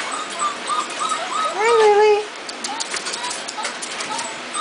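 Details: Puppy from Trixie's litter at a kennel, with a string of thin high squeaks and a drawn-out, falling, tonal whine in the middle, while a woman speaks softly and greets it over the top.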